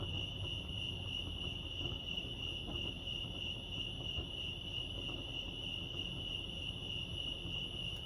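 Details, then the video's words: Lake Arrowhead crickets, California, sustaining a shrill unbroken chirping trill at one steady pitch, with soft low background rumble and a few faint clicks. "Serenity sounds crickets chirping lake arrowhead"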